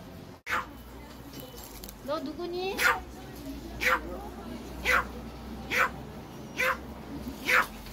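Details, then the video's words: Angry small pet dog in Korea barking at someone; sharp short barks repeated roughly every second, after a soft whine, over low room noise. "Angry Cute dog/화난 귀여운 반려견"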